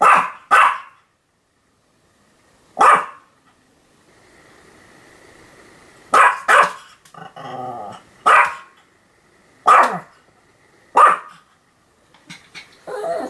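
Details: Sam the Pomeranian keeps barking, 7 October 2015: a quick double bark, a single yap, a quieter gap, then a steady string of sharp barks about one to one and a half seconds apart, trailing into softer sounds.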